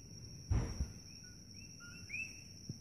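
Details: Coqui frogs chirping at night at Holualoa on the Kona Coast, Big Island, Hawaii: faint two-part calls, a low short note followed by a higher rising sweep, over a steady high-pitched whine and an early dull thump.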